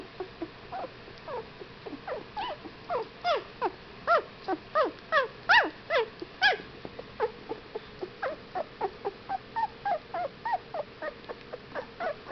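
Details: Young Whippet puppies, 15 days old, keep up a steady chorus of thin whimpers and yips, brief falling squeals with a few louder, sharper cries in the middle, about two to three per second.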